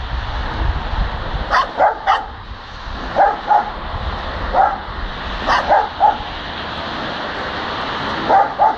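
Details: Barking dog spinning around, filmed while walking home; sharp, clipped barks in irregular bursts of two or three, separated by quieter stretches, with constant low rumbling background noise resembling traffic.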